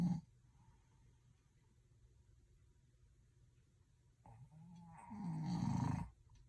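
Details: Dog asleep and snoring, staying asleep despite the noise: a short low snore at the start, quiet breathing, then a long, loud, grating snore swelling near the end.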